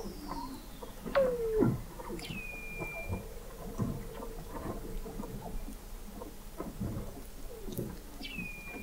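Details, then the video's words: Weddell seals under thick sea ice in McMurdo Sound, Antarctica, captured in November 2017 by the McMurdo Oceanographic Observatory 21 m below the ice. A single sharp downward-sliding whistle, short high steady tones, and scattered clicks over a low rumble. "Song of the Antarctic Weddell Seal"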